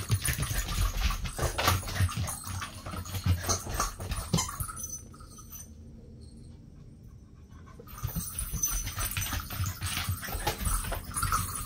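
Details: Lively puppy panting indoors: breathy, broadband puffs come in quick uneven bursts, about two per second. They fall to near quiet for several seconds midway, then resume. Faint whimpering sounds are mixed in.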